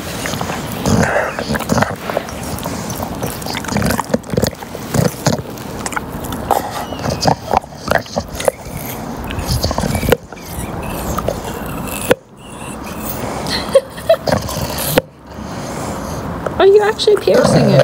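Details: Lincoln, a pet English Bulldog, makes rough snuffling grunts and snorts in dense, uneven bursts. Brief silent breaks fall near the tenth, twelfth and fifteenth seconds, and a person talks to the dog in the background.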